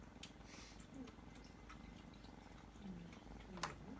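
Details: Kitten purring indoors in a small room: a steady, low rumbling purr of fast even pulses runs throughout, with a few faint short squeaks and a brief sharp click near the end.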